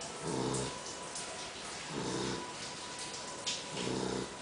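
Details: A female poodle named Tutuca snores loudly as she naps after eating. Three low, buzzy, ridged snores, each about half a second long, come at a steady pace roughly every 1.7 seconds over a soft hiss.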